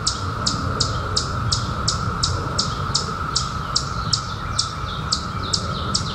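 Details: Unbroken mid-pitched buzzing from 2021 periodical cicadas, out after 17 years. It is accompanied by a regular series of bright, falling bird chirps, about two or three per second, and low background rumble.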